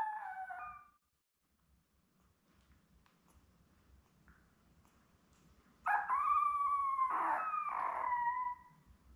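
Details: Labrador Retriever puppies about eleven days old, seven in the litter, with mother Belle; a brief whine at the start, long quiet, then a loud drawn-out cry that breaks into wavering harmonic wails.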